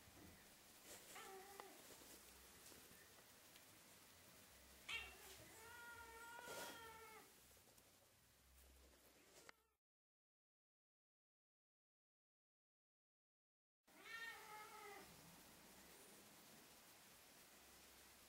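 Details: Fluffy female Ragdoll-Birman kitten 'singing' at the camera: drawn-out, harmonic-rich meows near the start and middle, then a silent gap, then another wavering meow; soft background hiss throughout.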